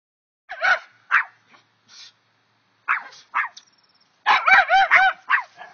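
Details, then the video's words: Two dogs barking at a chipmunk: sharp, separate barks at first, then a quick burst of high, ringing yelping barks, with a short thin whine between bursts. "barking at chipmunk"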